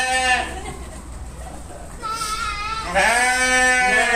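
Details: Sheep giving a bleat at the start, a quieter distant bleat in the middle, then a loud, long quavering bleat from three seconds onward, rich in harmonics, over a low steady hum.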